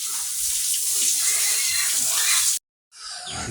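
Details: Loud rushing water spray, cut off briefly before resuming more softly, with no animal voice heard.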